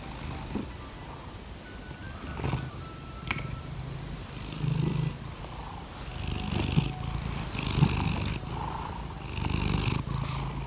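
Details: Laimi, a pet cat, purring in the morning while asking for petting: a steady low rumbling purr in rhythmic breathing cycles, with a few faint clicks and light rustles over it.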